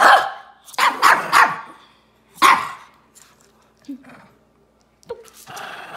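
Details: A toy dispute between two Shih Tzus, ZaiZai and MoMo, brings several harsh, noisy barks in quick clusters at the start, another bark mid-clip, then scattered softer yips and rustling.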